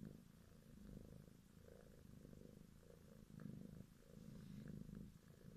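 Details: Petted grey kitten, green-eyed, born February 2017 among four littermates, purring: low throbbing rumble that swells louder in the second half, with a few faint clicks.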